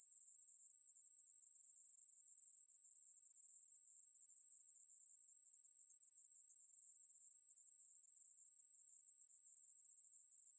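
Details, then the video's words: Unbroken high-pitched buzzing trill of a Ruspolia katydid (maebuori), steady in loudness throughout, alone without other noise. "매부리, 여러번 듣기, 곤충소리"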